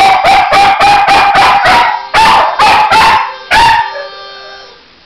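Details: Finn, a pet Norwegian Elkhound x American Eskimo cross singing as a favourite pastime, gives a quick series of clipped yodelling yips. A few longer howled notes follow, and the last fades into quiet.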